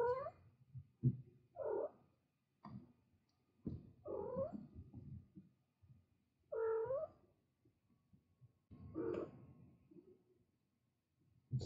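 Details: Mother cat with her kittens giving a series of about five clear, harmonic-rich meows, some rising then falling, spaced one to three seconds apart, with soft low rumbling and shuffling between calls.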